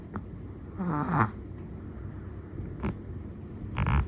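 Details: Sleeping Chihuahua, long-haired black-and-tan, gives one whistling, squeaky snore followed by short snuffly breaths, against a low steady hum.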